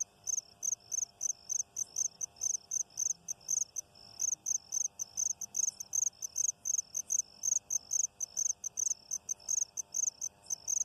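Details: Insect calling with short, very high chirps, evenly repeated about four times per second throughout, over a faint steady hum.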